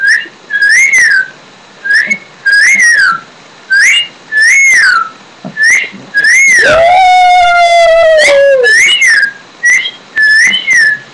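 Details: Daisy, a pet Shih Tzu, howling in short arched, high-pitched notes repeated every second or so, with one longer, lower drawn-out howl near the middle before the short rising-and-falling yelps resume.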